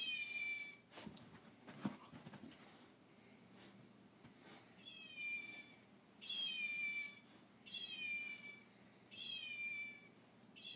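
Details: Fox meowing while playing with a chow puppy: a series of five high, thin, slightly falling cat-like whines, each about half a second, repeated roughly every one and a half seconds, with a few soft knocks and thumps early on.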